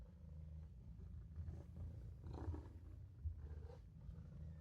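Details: Maine Coon kitten Olof napping in a sink, giving a steady low rumbling purr with faint rising and falling breath cycles and a few soft bumps.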